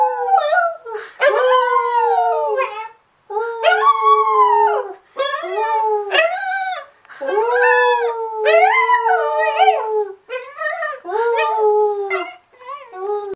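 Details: Pet dog Charlotte howls along with people; repeated wavering howls with rich harmonic stacks, each phrase swooping up and settling, about six bouts separated by short silences.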